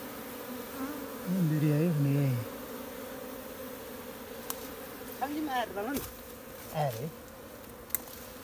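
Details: Even hum of a wild honey bee swarm, taken by bare hands off a tree in Nepal's jungle for transfer to a modern hive. A loud swooping buzz passes early, and shorter ones come later among light clicks.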